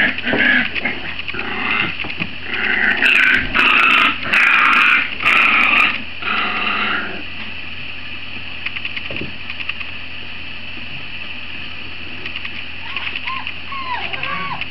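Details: Great Dane puppies about 50 days old, litter A of 2016: a loud burst of overlapping yelping and squealing for several seconds, then quieter scattered high whines with a steady background hum.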